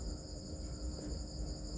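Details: Crickets kept on a cricket farm, a steady unbroken high trilling chorus of many insects running through the whole moment over a low rumbling background.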